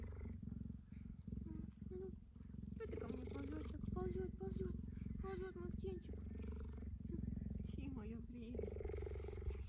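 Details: Tame cheetah lying on a blanket with its owner, being affectionate and tickling her, purring in a deep, steady, rapid pulsing rumble throughout, while a woman talks softly over the middle part.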